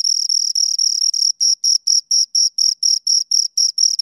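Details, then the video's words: Close pair of crickets: a near-continuous shrill trill for the first second, then breaking into separate evenly spaced high chirps, roughly four per second, in otherwise quiet surroundings. "Two Crickets Chirp Sounds"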